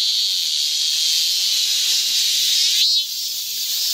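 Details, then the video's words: High, even hiss of cicadas on a hot midsummer day in a Guro-gu park, steady for three seconds before easing slightly in loudness. "한여름 무더위를 식히는 시원한 청량제와 같은 매미 소리"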